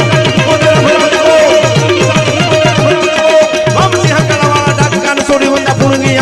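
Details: Loud folk music with steady hand-drum beats and sustained melodic tones fills the recording throughout, with no animal sound.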